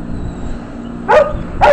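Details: Joel, a male hound available for adoption, recorded on 20 February 2011 at 10:31 in the morning, gives two short, sharp barks about half a second apart over a low steady background hum.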